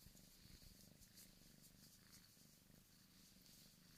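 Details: Purring Bengal kitten, male, from a cattery, born August 2015; even low rumble pulsing rapidly throughout, soft and close with no other sounds.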